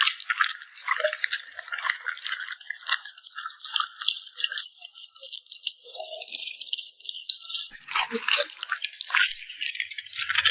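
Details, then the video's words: Close recording of a puppy eating food served by its owner, beef held back for last: continuous sharp wet clicks and crunchy smacks, bursts clustering more densely around the eighth second, with no other sounds. "the sound of a cute puppy smacking its lips"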